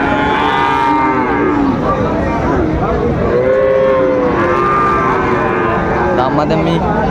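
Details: Friesian and crossbred bull calves at the Raniganj cattle market, Dinajpur, Bangladesh, on 26 July 2024; several overlapping drawn-out moos with arching harmonic bands rise and fall over a dense crowd murmur.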